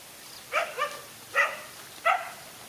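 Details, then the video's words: During a fight with two male dogs, short tonal barks ring out, a quick double bark followed by two single barks, each clear and ringing over a quiet background. "No fear to fight a lone again two male dogs"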